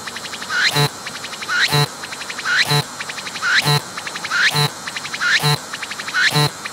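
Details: Singing cicada filmed up close, undisturbed by the approach: a swelling upward-sliding whine snaps into a harsh broadband burst, followed by a quick ticking rattle, in steady phrases almost every second.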